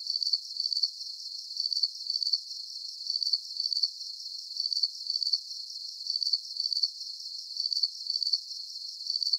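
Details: Crickets chirping in a high, thin trill, with short pulse groups repeating at a steady rate of about forty bursts per minute and no other sounds.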